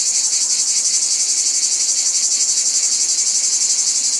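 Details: Unbroken cicada chorus: a loud, high, hissing buzz with a fast even throb, about four beats a second, and nothing else heard.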